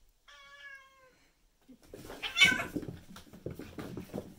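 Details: Fight between two male cats, one black and white and one white and ginger: a short, steady, nasal cry, a pause, then loud scuffling, thumps and rustling noise from the struggle.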